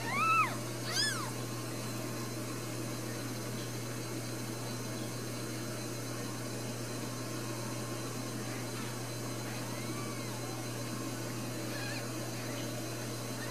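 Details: Four newborn Ragdoll kittens in a central Kansas home cattery. Two sharp, high mews open the clip, then faint scattered mewing fades into a low constant hum.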